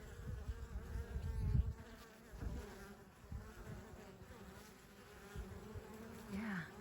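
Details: Western honey bee foragers at a hive entrance in Wisconsin in May, carrying light warm yellow pollen with both loads full; low buzzing that swells as bees fly close, then quieter hum, with a short rising-falling whine near the end.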